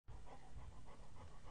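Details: Pregnant yellow Labrador Retriever lying on a couch while her owner pets her under the chin; soft, steady panting in quick rhythmic breaths, several per second, with no other sounds.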